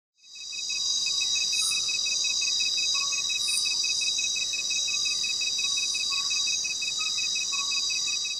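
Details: A male tree cricket (Xabea sp.) uses a hole in a leaf to amplify his steady, rapidly pulsed mating trill to attract females, over a bright insect hiss.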